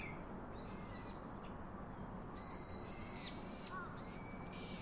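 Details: Young monkey calling its daddy for a comforting hug: a long, piercing, level squeal held for about a second, followed by shorter high whines, against a continuous low hiss.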